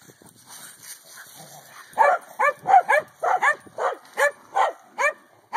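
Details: Excited corgi playing with a hula hoop, a steady series of about ten sharp barks after a quiet start, roughly one every half second.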